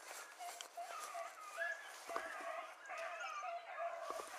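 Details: Beagles, among them Ribo and Mira, hunting a hare that had crossed through water and stayed on the far side. Distant harmonic baying rises and falls almost continuously, with voices audible underneath.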